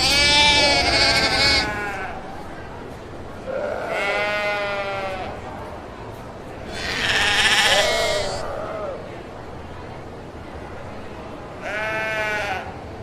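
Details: Sheep bleats: four long, quavering, nasal calls spaced a few seconds apart, each wavering in pitch, over a quiet background hiss.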